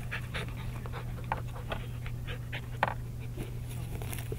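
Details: Labrador Retriever puppies playing with a mesh bag, panting in quick, uneven breathy bursts with scuffling and mouthing noises, over a steady low hum.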